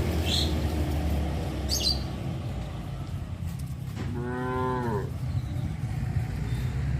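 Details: Tame cows on a traditional village farm, roaming near a highway: one short moo of about a second with a falling, tonal harmonic sound, set over a steady low rumble and a couple of faint high chirps.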